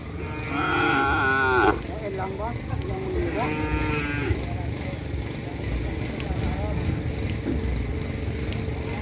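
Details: Cattle at a Kerapan Sapi bull race at Griduh Onggu: one long harmonic moo of over a second, followed by two shorter broken calls, amid constant crowd murmur and low background rumble.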